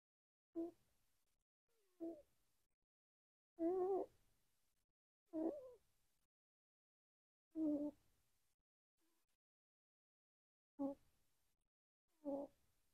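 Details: A sleeping female free-roam house rabbit, which always snores and has a squeaky nose, snores in short, low, throaty bursts every couple of seconds, recorded with the microphone held close.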